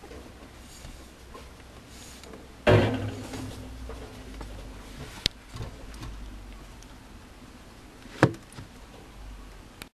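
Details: Quiet indoor room with a sliding door or drawer bumping and a few sharp knocks, and no animal sounds.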